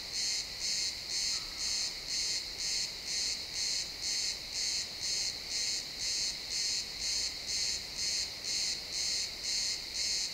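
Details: Sunset woodland of pines with crickets, XY stereo: a high-pitched chirp repeated about twice per second in a very steady beat, sustained throughout over soft background hush.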